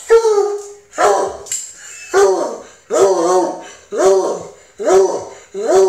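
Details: A male Treeing Walker Coonhound, excited at the vet's office and wanting to sniff other dogs, bawls in repeated drawn-out, wavering howls, about one per second.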